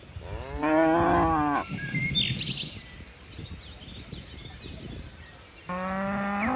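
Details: Cattle in a herd of dozens of tame cows leaping down a mountain hillside: a loud harmonic moo around one second long, then birds chirping and whistling, another moo rising in pitch begins near the end.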